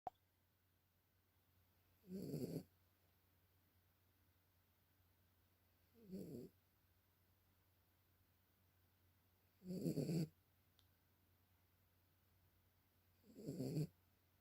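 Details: Small pet dog asleep, snoring softly in four slow, rough breaths spaced about four seconds apart, each a short raspy burst with faint hiss, over a quiet steady indoor background hum.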